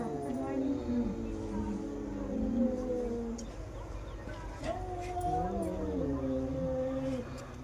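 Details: Two female domestic cats yowl against each other in long, wavering, drawn-out moans during a fight.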